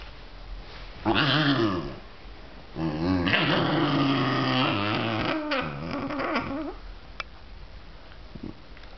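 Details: A male basenji gives wavering, yodel-like warbles and growly moans while playfully teasing a visiting female basenji.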